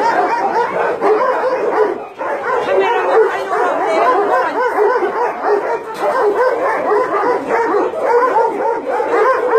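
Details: Around 150 dogs confined at a combined meat farm and puppy mill in Nonsan, South Korea, January 2017, including Chow Chows and Shar Peis; a relentless wall of overlapping barks and yelps, dipping briefly near two seconds before surging again.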